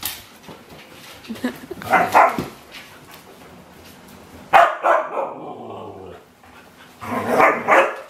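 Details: Three separate vocal bursts, spaced a few seconds apart, come from Domi, a rescued four-year-old husky crossbreed who recently moved into a new home; quiet background between the calls.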